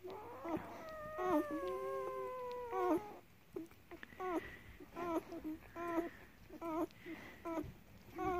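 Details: German Shepherd puppies nursing on their mother's milk give thin, high whines, then short squeaky cries about once a second.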